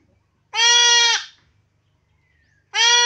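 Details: During castration a goat lets out a strong, level bleat lasting under a second, followed after a pause by the start of another equally loud cry; quiet background otherwise.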